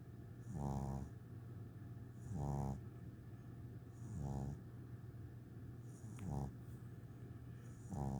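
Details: Eight-week-old English Bulldog puppy asleep beside a teddy bear on its first day home, snoring in steady rasping breaths roughly every two seconds, five snores in all, each a buzzy, low, harmonic-rich rattle over a faint constant hum.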